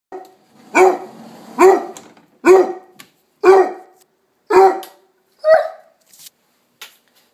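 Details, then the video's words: Pet dog barking indoors to demand breakfast: six loud, short, sharp barks spaced under a second apart, then a softer final yelp, with faint music in the background. "Bark Week Entry"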